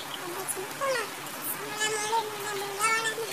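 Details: Kittens crying: a few brief squeaky mews, then one long, level, plaintive meow held for over a second with a gentle wobble in pitch, followed by a short high squeak.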